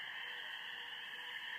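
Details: A dense night chorus of spring peepers at a backyard pond, with geese also heard: high, piercing peeps blending into a steady, shrill ringing wall of sound.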